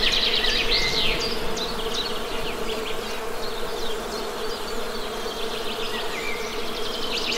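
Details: Constant low buzzing drone of honey bees. Birds chirp busily over it, with bursts of quick high notes at the start and again toward the close.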